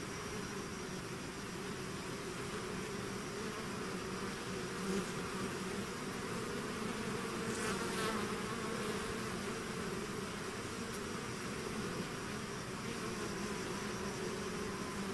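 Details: Many bees swarming out of their hive make a thick unbroken buzz, low droning tones layered with a few closer individual fly-bys that swell briefly near the middle.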